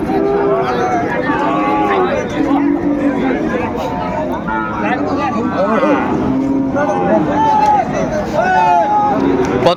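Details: Sahiwal cattle being bought and sold at the Ambari market in Dinajpur, Bangladesh, on 18 November 2024. Several overlapping lowing moos, some wavering and some arched, sound through the steady noise of a crowded market full of talk.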